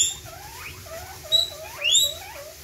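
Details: Guinea pigs screaming: a rapid run of about eight high, rising squeals with bright overtones, each under half a second, the loudest near the middle and end, over a faint low rumble.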